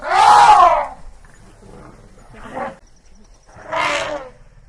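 An elephant gives two loud, brassy, blaring calls, separated by a quieter rumbling grunt.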